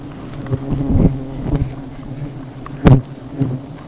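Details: Low, continuous humming buzz of honey bees swarming around their hive built on an umbrella tip, with a few short louder bursts and background voices.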